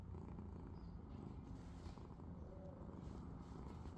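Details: A domestic cat purring while asleep: a steady low rumbling throb that runs unbroken through the whole stretch, with no other clear sounds.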